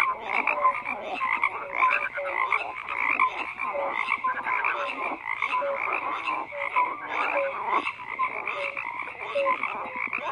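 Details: Steady massed croaking from numerous frogs, raspy pulses blending into a constant din, punctuated by short clear tonal blips at regular intervals.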